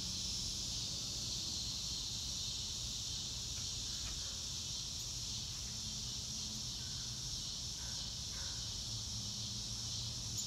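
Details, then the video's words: Real-time nature recording of crickets: a continuous thin, high trilling drone runs throughout over a low background rumble, with faint scattered higher chirps in the middle. "Nature Sounds - Real Time - No Music - Meditation - Crickets"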